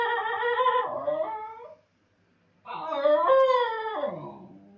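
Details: A lone Basenji howls during its owner's absence: two long, rich wails, the first sliding downward as it fades, the second climbing, wavering at its peak, then sinking away, with a short silence between.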